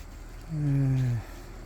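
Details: Korean native honey bee at a round hive made of paulownia wood: a single low, steady droning buzz lasting under a second, sliding slightly downward as it passes, with faint hum in the background.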